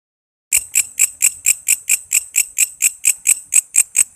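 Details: Walang kece cicada, recorded as a lively tutor sound for training songbirds such as magpie robins, lovebirds, green leafbirds and kacer: after a half-second pause, sharp high buzzy pulses start, repeating steadily about four times a second.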